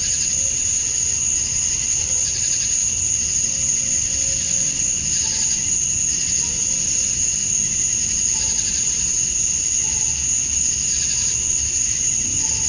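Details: Cicadas sing at dusk on a summer night in Georgia, USA. Males chirp to attract females. A steady piercing whine runs beneath repeated throbbing surges of buzzy sound, with faint distant low notes now and then.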